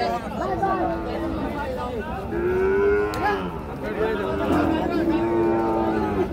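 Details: Sahiwal bull calves at Ambari cattle market, Parbatipur upazila, Dinajpur, Bangladesh: long steady moos, several animals calling in turn, over loud market crowd noise and talking.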